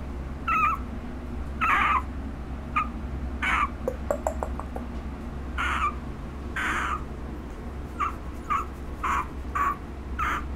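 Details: Chesha, a female puppy one month old, filmed on August 17, repeats brief nasal whimpers about once a second, with a quick series of tapping clicks in the middle.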